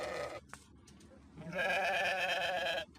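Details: A brief bleat tail at the opening, a faint click, then one strong sheep bleat of over a second with a rough, trembling quality.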